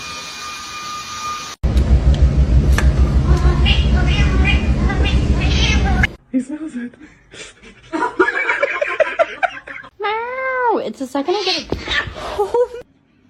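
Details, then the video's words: Cat giving a drawn-out meow that rises then falls near the end, after a stretch of loud low rumbling and several shorter harmonic cries, with people talking nearby. "kitten meowing"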